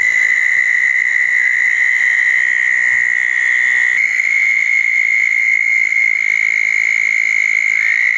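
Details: Overlapping, unbroken high trills from southern toads gathered at small backyard ponds after a June 2014 thunderstorm, with eastern narrowmouth toads also calling nearby; a thin buzzy layer sits above the main tone.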